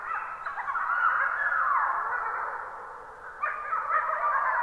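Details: Chorus of several wolves howling together near midnight, 23:21, on 26 April 2022 in a Karukaamera recording; overlapping wavering, sliding howls of mixed pitch blend into a continuous dense chorus, with a fresh surge of voices near the end.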